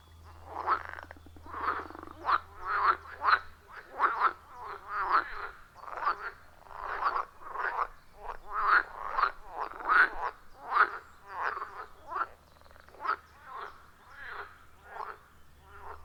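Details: Chorus of wild frogs at a forest pond, recorded deep in the forest on an iPhone 14 Pro with a Shure MV88+: loud, rhythmic raspy croaks pulsing roughly every half second to second, overlapping callers, with a low steady hum early on.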